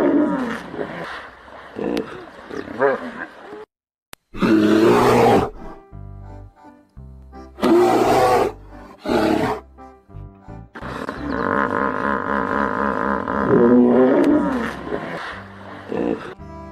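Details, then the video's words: Hippopotamus giving loud, rough roaring bursts, two long blasts around the middle and a longer stretch near the end, each harsh and broadband, set over steady background music. "yang keenam adalah kuda nil begini suaranya [Musik]"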